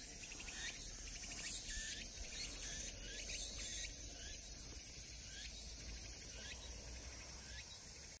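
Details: Walker's cicadas (tsukutsukuboshi) predominate in Shikokuchuo, Japan, around 15:09 on 23 August: one sings a rhythmic, repeated buzzing phrase over a dense, hissing cicada chorus.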